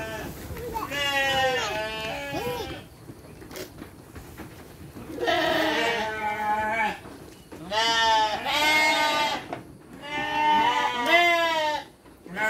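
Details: Several sheep bleating while being given dry feed on a farm with children nearby; long wavering harmonic bleats of about two seconds come in bursts, separated by quieter gaps with faint voices.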